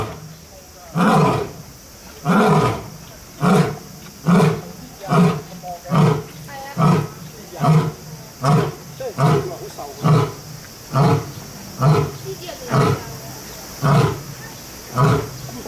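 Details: Captive lion or tiger at Kyoto City Zoo, Japan, giving a long series of deep, grunting roar pulses, about fourteen in sixteen seconds, coming roughly once a second and fairly even in strength.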